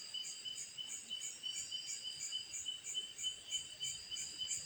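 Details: Night-time cicada call, a continuous high-pitched ringing drone made of stacked shrill tones that throb in soft pulses roughly three per second, steady throughout over a quiet background.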